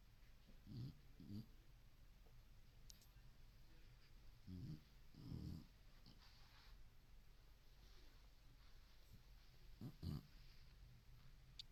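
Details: Senior boxer sleeping deeply and dreaming, giving soft, low snuffling snores in scattered pairs, separated by quiet stretches, with a faint steady background hum.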